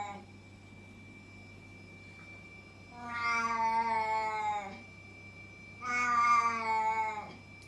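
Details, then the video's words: Loud house cat: two long, wavering, moaning meows roughly three seconds apart, with a constant electrical hum behind. "Loud Cat is quiet when fed and laying down"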